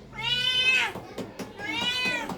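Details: Pet cat meowing because it is hungry and calling for food. Two clear, tonal meows arrive about a second apart, each bending slightly in pitch, with soft household clatter between them.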